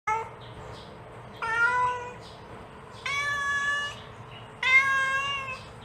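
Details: Mother cat calling her kitten: three clear harmonic meows, each about half a second to a second long, steady and slightly rising, spaced about one and a half seconds apart, with faint background hum.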